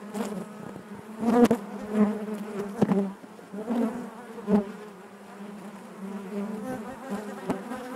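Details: Inside a honey bee hive, a colony drones in a continuous low hum layered with harmonics, punctuated by short loud buzzes and sharp taps every second or so as individual bees pass close.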